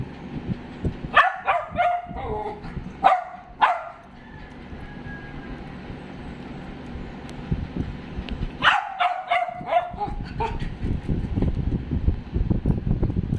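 A dachshund gives sharp, loud barks in short bursts, with quiet gaps between them.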